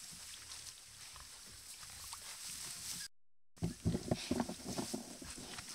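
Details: Herd of wild boar gathered at a mud puddle; after a short quiet, hissy opening, a burst of rapid, low, rough grunts begins just past midway and continues, several animals overlapping at about four pulses per second.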